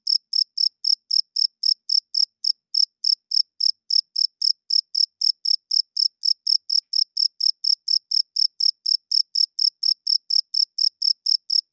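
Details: Cricket chirping loudly at night, a clean run of short high pulses repeated about four times a second, steady and even, with brief gaps near the start and middle; nothing else audible.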